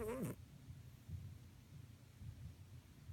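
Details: Adora, a pet cat, snoring while asleep indoors: soft, low rumbling breaths that swell and fade about once a second, after a brief wavering tonal sound at the start.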